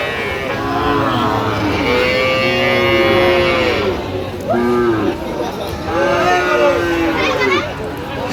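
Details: Sahiwal bull calves at a livestock market on 3 October 2025; repeated drawn moos from more than one calf, mixed with loud men's voices discussing a purchase.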